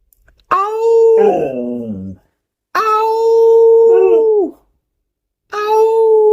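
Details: Howling house dog crying for buttermilk, which it asks for every day; three sustained, steady-pitched wails, the opening one ending in a wavering downward slide, separated by pauses of about a second or more.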